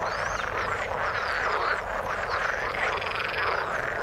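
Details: Frogs in the water calling together in an unbroken chorus, a busy croaking hum with a few thin gliding whistles near the start and scattered brief notes.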